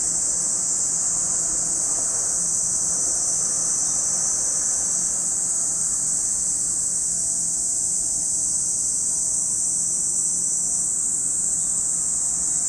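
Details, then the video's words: At Lake Kamo in Sado City, Niigata Prefecture, Japan, cicadas sustain a loud, uniform high-pitched whirring drone, accompanied by a faint low rumble and soft wavering tones in the background. "Lake Kamo in Sado City, Niigata Prefecture, Japan, where you can hear the voice of cicadas."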